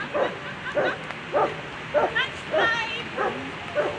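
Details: German Shepherd at a World Championship agility event, Ine v Krausenberg, sixth place in the final, giving sharp barks repeated roughly every half second, mixed with crowd chatter and arena noise.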